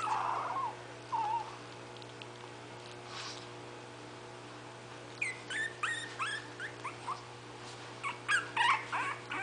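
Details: Itsy Bitsy's 20-day-old litter of five puppies waiting for their mother to feed them: a faint low whine at first, then a run of rapid high squeals and yips in quick clusters, with a steady background hum.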